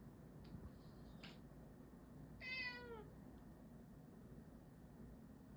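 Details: Domestic cat giving a strange sound indoors; one brief descending harmonic meow, a few faint clicks before it, constant low humming background.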